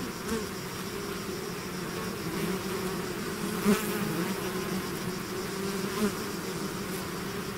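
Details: A swarm of bees pours from the hive, giving a thick, unbroken drone with two clear humming bands. Close individual bees flare briefly louder near the middle and again toward the end.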